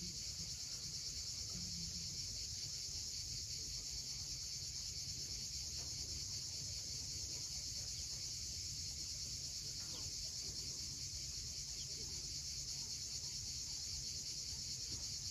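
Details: High, seamless cicada buzzing at sunset over the steep coast of Crimea near Cape Fiolent, holding at one level throughout, with gentle surf below and a few faint chirps.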